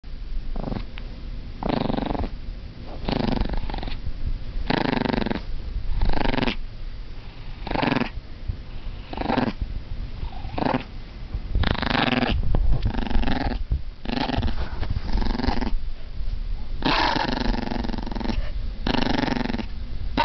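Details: Dogs making an engine-like sound: throaty, buzzing growl-grunts in half-second bursts, repeated roughly every second over twenty seconds, rough and motor-like.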